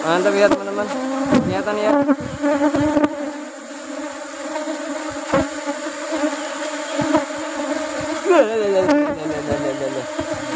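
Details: Asian honey bee colony (Apis cerana) during a honey harvest in the rubber tree flowering season; a dense, steady low hum with layered overtones, broken by sharp knocks and handling clatter.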